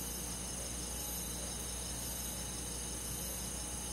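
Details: Summer-night chorus of crickets and forest insects in the countryside, a thick shimmering wall of high chirps pulsing quickly and evenly, with a faint low drone underneath.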